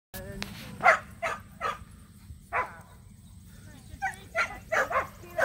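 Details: Samoyeds named Mozart and Zuko at a local match show, their first ever. Sharp barks come in short bursts, several spaced about half a second apart, with people talking nearby and a steady high hum in the background.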